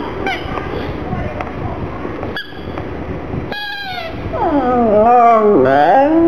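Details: Gong Fu the black pug whimpers over the little ball he is sad about. After a faint opening, a loud wavering whine rises and falls over the final two seconds.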